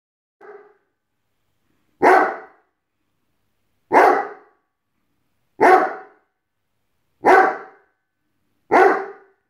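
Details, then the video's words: Rhodesian Ridgeback indoors barking at empty bottles on a table: one faint short sound, then five loud, deep single barks spaced about every 1.7 seconds, with silence between them. "Rhodesian Ridgeback Enzo doesn't like empty bottles on the table"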